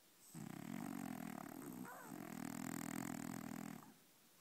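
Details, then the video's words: Dreaming French Bulldog snoring in its sleep, one sustained, raspy, vibrating snore about three and a half seconds long with a brief catch in the middle, in a quiet indoor room. "Brownie roncando2!!!!"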